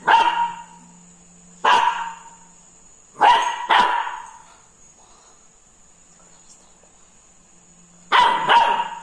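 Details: Krishna, a Labrador puppy frightened by a ladle, lets out sharp high barks, some in quick pairs, spaced irregularly over nine seconds, with a constant electrical hum underneath.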